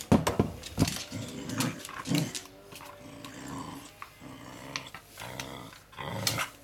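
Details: Pembroke Welsh Corgi growling while playing with a toy: low, rumbling growls in repeated bursts about a second apart, mixed with sharp clicks and rustling.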